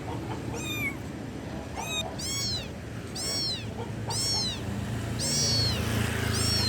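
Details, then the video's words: Kitten calling its mother with loud, high meows, arched wavering cries repeated roughly once a second, some rising and falling, over a steady low hum of background noise. "ANAK KUCING MEMANGGIL INDUKNYA [ suara Keras ]"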